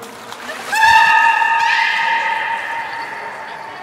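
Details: Beluga at Port of Nagoya Public Aquarium, Japan, 23 March 2019, around fish feeding and play time: one long steady whistle with strong harmonics, shifting slightly upward midway, over a background of water and faint voices.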